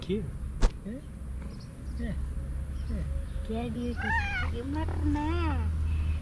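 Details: An affectionate grey male cat, young, with green eyes, meows for love and attention: after soft voice and small chirps, two clear rising-falling meows come near the end, one at about four seconds and another just after five.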